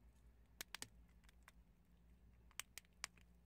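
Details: Prairie dogs crunch chickpeas, giving sharp dry cracks in small bursts.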